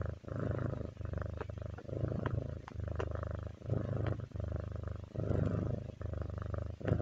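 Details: Domestic cat purring, a relaxing sound: a steady low rumbling buzz broken into breath-paced phrases just under a second long, each separated by a short pause, with faint clicks on top.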